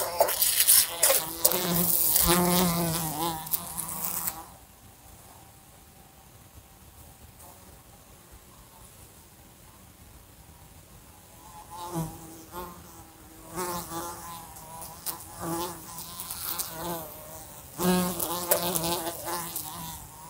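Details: A fly buzzing in a room next to a lamp, bumping into it, gives loud bursts of harmonic drone wavering in pitch between quieter spells.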